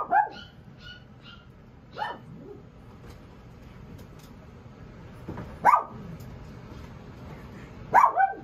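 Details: Young female Pomeranian puppy from a breeder's litter letting out a few sharp, high single yips spaced several seconds apart, with faint clicks and soft indoor noise between them.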